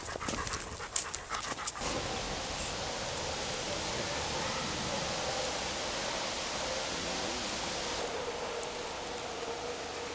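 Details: Saï, a ten-year-old male Labrador cross from a French refuge, out on a walk: quick breathy panting bursts in the first two seconds give way to a steady, rushing hiss of breath with a faint low rumble.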